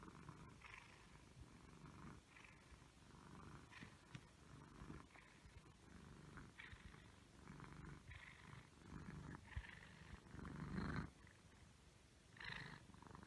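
An Egyptian Mau cat purrs in a low, steady rumble, with a few brief higher chirps.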